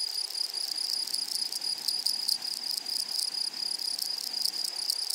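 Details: Meadow grasshoppers give a sustained piercing buzz-trill, high and even, pulsing in quick irregular beats with a fainter higher overtone running throughout; no other sounds stand out.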